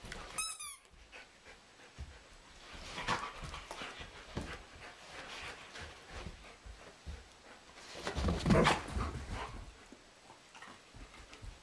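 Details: Doberman and German Shepherd at play-fight in a living room with two sheep as spectators, April; opens with a sharp high falling squeal, followed by huffing, panting and scrabbling bursts that swell again later.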